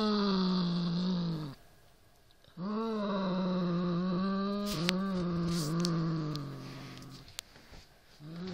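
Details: Siamese cat growling at a rat toy: long, throaty, wavering moans repeated after short gaps, the pitch bending up and down, with faint clicks and handling noise.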